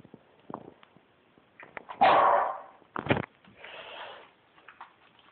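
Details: Corgi at home demanding belly rubs, producing a drawn-out grumbling bark, a sharp second bark, then a softer breathy groan, with small sniffs and shuffling around them.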